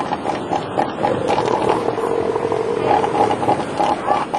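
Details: Southern elephant seal (Mirounga leonina) bulls roar in harsh, rumbling, guttural bursts while fighting over territory and mating rights to females.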